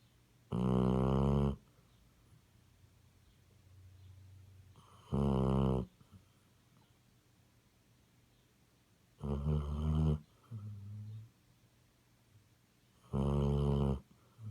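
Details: Sleeping Basset Hound snoring loudly, four harsh, rattling snores spaced roughly four seconds apart, each about a second long, with faint lower breaths in between and a quiet indoor background.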